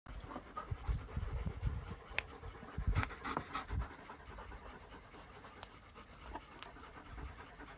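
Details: German Shepherds outdoors in nature near Sari, Iran, recorded on an iPhone 11 Pro Max; rapid, breathy panting bursts in quick succession over rustling ground noise.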